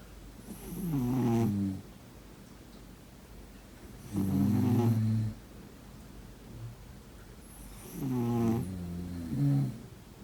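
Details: Sleeping pet cat gives three long, raspy snores roughly every three and a half seconds, each a low droning buzz that bends in pitch, the last ending in a short extra snort.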